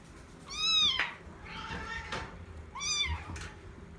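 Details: Bengal cats Shelly and Arthur indoors on their third day after first meeting; two clear, arching, tonal meows about two seconds apart, each rising then falling, with a softer murmur between them and a quiet room background.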